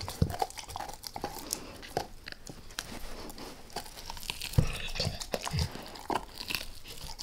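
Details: Max, a pet dog, going after a beef rib indoors, lightly at first and then all in: irregular crunching and biting snaps with wet chewing between them, in a quiet small room with no talking.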